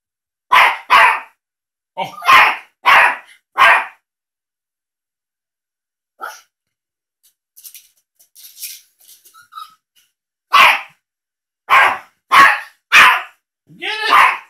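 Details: Teacup Yorkie, a male house dog, yapping at a cat on a laptop screen: a run of four shrill barks, a quieter stretch with faint rustles, then another rapid burst of about six barks.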